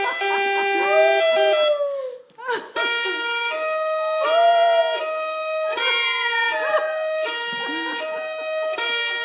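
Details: A Jack Russell Terrier howls at an ambulance siren in long, wavering tones that rise and fall alongside the wailing siren. Finding: Jack Russell Terrier.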